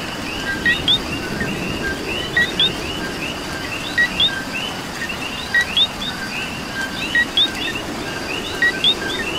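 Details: Coqui frogs calling in rain in Puerto Rico: loud two-note co-qui calls, a short lower note then a rising whistled higher one, repeating roughly every one and a half seconds over a dense chorus of other coquis and steady rain hiss.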